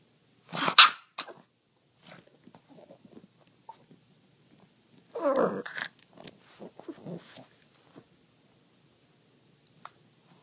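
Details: A dog making strange noises indoors: a quick loud gruff yelp, scattered soft snuffles and clicks, a second rough grunting burst near the middle, then more faint scattered snorts.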